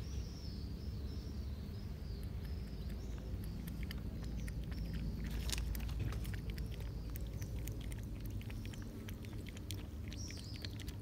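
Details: Several cats feeding and drinking milk on a summer day make dense, rapid crunching about four times a second, while faint high bird chirps sound at the start and end.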